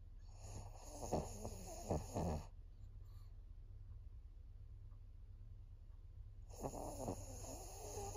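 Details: Maria, a 14-year-old senior female fawn pug indoors in Japan, recorded on 22 September 2024, snores in rough, rattling bursts of rapid breaths for about two seconds, then falls quiet before another wheezy snoring spell begins.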